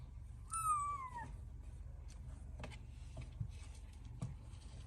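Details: Newborn kitten playing with its mother and meowing for milk: one clear, high, falling meow lasting under a second, followed by soft rustling and faint clicks indoors.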